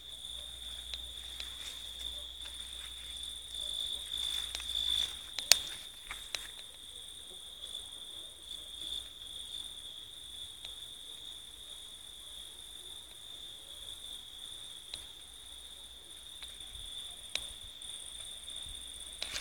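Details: Singing grasshoppers, crickets and lacewings give a quieter, constant high-pitched trill that never changes pitch, with a faint upper overtone, occasional sharp clicks and soft rustling in the background.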